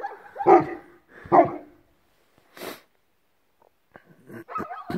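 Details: At sunrise in a Belarusian village, Newfoundland dog Bernie, there for the first time, gives two heavy, resonant barks about a second apart, followed by quieter rustling and a faint whine.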